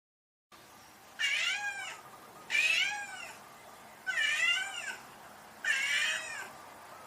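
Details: Domestic cat meowing: four loud, drawn-out meows with rich harmonics, each about a second long, repeated roughly every one and a half seconds over a quiet background.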